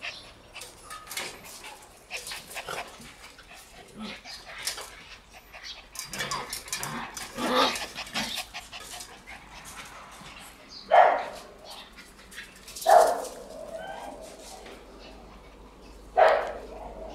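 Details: Shiba Inu puppies in a play yard on June 26 give short, high yips and soft whimpers scattered through the recording. Three louder, sharp barks stand out near the end, with faint rustling between the calls.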